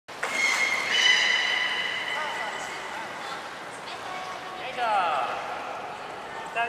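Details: Beluga in a morning aquarium pool at Nagoya Port Aquarium, 26 January 2020: a series of high, steady whistles and tonal squeals, then rapid rising chirps near the end, over a hissing, echoing hall background.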